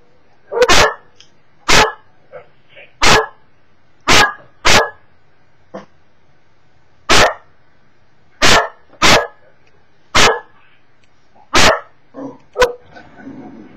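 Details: Cocker Spaniel dog indoors barking at videos on a computer screen, captured by webcam: a long series of loud, abrupt barks roughly every second or so, with quieter whines and muffled sounds in the gaps.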